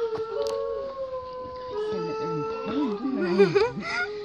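New Guinea singing dogs howl in sustained, wavering tones, with people talking in the background.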